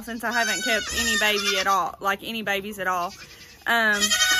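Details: Baby goats from the 2022 kidding season giving drawn-out, vibrating bleats, a few kids calling in turn with brief gaps, one long cry at the end, and some speech mixed in.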